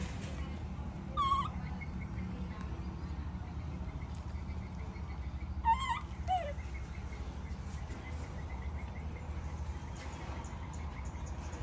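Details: Tantruming baby monkey calling as its mother goes: a short high shriek, then several seconds later a wavering squeal followed by a lower falling cry, with long quiet stretches of low hum between.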